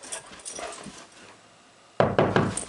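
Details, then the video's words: Male dog at home, super excited as his owner comes home. Quiet room noise at first, then three sharp, loud, broadband barks in quick succession over the last second. "Dog super excited for his mom to come Home"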